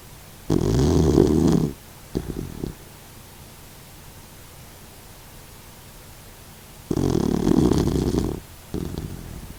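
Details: Elderly sixteen-year-old Doxiepoo sleeping at home and snoring; long raspy inhaled snores near one and seven seconds, each followed by a shorter softer rattle, silence in between.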